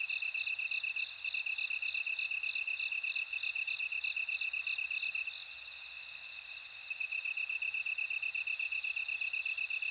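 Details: Overlapping insect song credited to bell crickets: fast, even high-pitched pulses carry on without pause, topped by chiming bell-like beats that thin out midway before the trill resumes at full strength.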